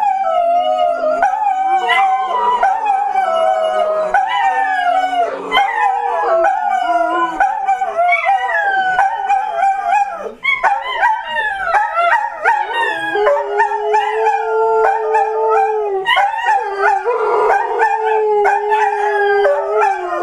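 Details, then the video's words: Three pet dogs howl along to a new clock's hourly tune, giving long, wavering, overlapping howls that slide up and down in pitch, with short yips breaking in and voices shifting to a lower, steadier howl near the end. "Dogs singing to clock"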